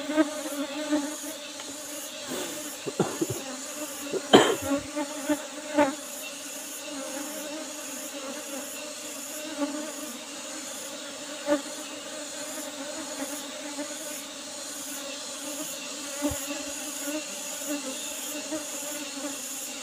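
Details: Asian honey bee swarm buzzing as honey is taken from an old wooden box hive. A continuous drone lasts the whole stretch, broken by several clicks and knocks in the first seconds, with a regular high ticking above.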